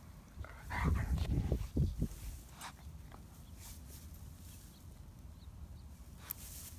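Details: German Shepherd named Odin play-fighting with another dog named Hannah, giving low rumbling growls in a burst over about two seconds, then quieter ground noise outdoors.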